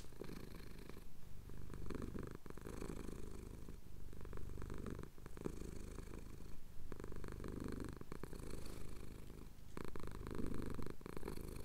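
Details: Cat purring while his chin is scratched, Cotswold sunrise, recorded on a Tascam DR-07X: quiet low purr swelling and fading in slow breath cycles, with faint rustling and clicks over a hissing background.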